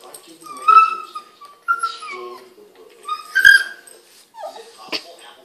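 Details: Boston Terrier playing with a Pug and making odd, funny noises: drawn-out whining yelps near the middle of the range, sliding down in pitch, three or four in a row with short gaps, while a person talks over them.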